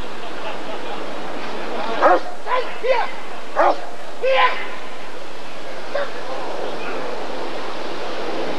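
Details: A Rottweiler barks at the 1994 ADRK Körung breed survey, with a cluster of five sharp barks in quick succession midway, then one lone bark, against murmuring voices and a noisy background.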